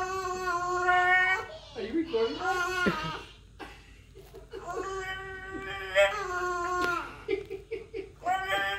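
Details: French bulldog caged and crying: drawn-out, revving whines that bend up and down in pitch, sounding like a race car, in two long bursts separated by a quieter dip.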